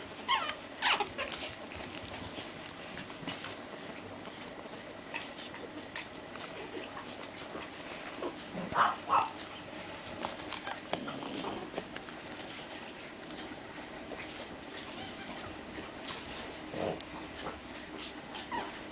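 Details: Seven 40-day-old Pekingese puppies from two litters in Estonia give a few brief, high whimpers and squeaks over a steady background hiss.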